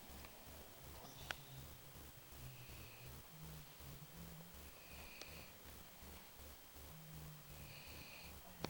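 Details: Babu, a pet dog, asleep and snoring: soft low droning rumbles with breathy, hissing higher tones returning about every two and a half seconds in a quiet indoor room, with a couple of sharp clicks.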